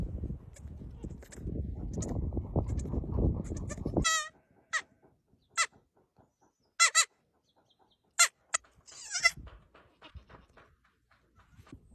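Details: Baby goats give short, high, quavering bleats in scattered bursts after about four seconds of loud, low rumbling noise; the cries are brief and spaced a second or more apart.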